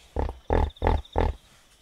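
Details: At night by a river in Zambia's Kafue National Park, a wild hippo gives four loud, deep, honking grunts in quick rhythmic succession, about three per second, followed by quiet; a faint insect whine continues throughout.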